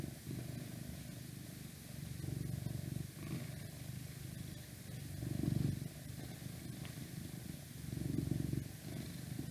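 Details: Domestic cat purring close up, a low continuous rumble that swells in roughly two-to-three-second waves with each breath, with steady outside noise drifting in through a window underneath.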